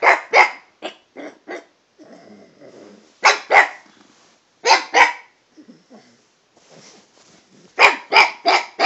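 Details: Toby the dog vocalizes at a cat in a chatty mood, shifting pitch: rapid doubled barks alternate with low rumbling growl-like mutters, ending in a quick run of four loud barks.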